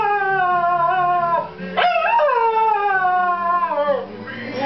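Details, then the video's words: A 6-month-old Cocker Spaniel howls along to an Elvis Presley song in long, wavering tones that dip, then swoop upward and slide back down. "Cocker Spaniel singing"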